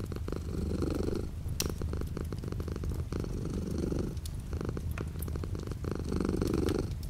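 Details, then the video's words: Purring cat beside a window with light rain outside: rhythmic rumbling swells recurring about every two and a half seconds, separated by softer stretches, with steady drip and patter sounds. "The sound of a cat purring with light rain outside the window."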